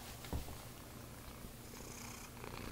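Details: Bennie, a special needs cat with the rare genetic disorder Axenfeld-Rieger syndrome at Calico Junction Sanctuary, purring softly and steadily indoors, a low quiet rumble with one brief thump near the start.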